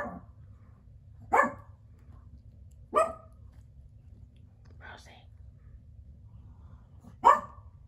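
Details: Several isolated sharp yelps from Biro Biewer terrier puppies, spaced a couple of seconds apart, with a softer, higher squeak between them in an otherwise quiet indoor setting.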